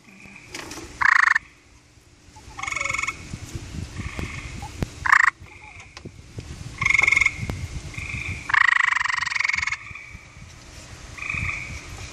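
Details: Gray treefrog on a deck in Vermont giving its mating call in reply to a recorded call played on a phone; loud pulsed trills, each about half a second to a second long, alternating with quieter played-back trills through the clip.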